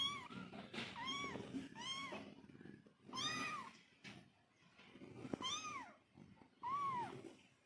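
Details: Mother cat calling to her kittens: clear, bright, arched meows repeated roughly every one to two seconds, about six calls, each rising then dropping, over low rustling and a soft purr-like background.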